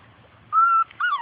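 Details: Labrador Retriever puppy from the litter of Grace and Sam, playing outside and chasing its mother: two short, high, clear whines, the first held level and the second sliding downward, over a quiet background.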